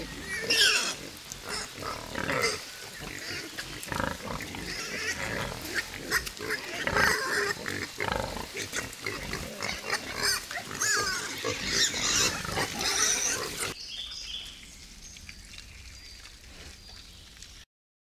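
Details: Several wild boars at Kulikovo Field museum-reserve, a place closed to hunting, giving harsh overlapping grunts and squeals in rapid, irregular bursts for most of the recording, then fading to quiet near the end.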